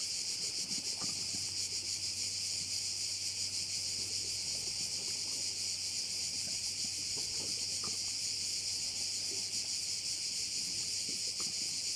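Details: Many crickets calling at a bay on the Croatian island of Korčula, forming an unbroken high, hissing trill that barely changes in loudness, over a few faint low thumps.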